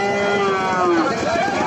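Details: Calves at a cattle market in Naogaon, Bangladesh, give a drawn-out tonal moo that slides downward in pitch, then a second shorter call rises. A dense, noisy crowd din fills the background throughout.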